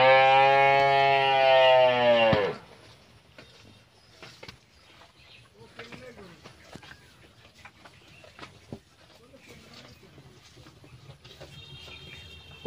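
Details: A year-old Friesian heifer calf lows once, a strong, sustained moo of about two seconds. Near-silence with faint rustles and clicks follows.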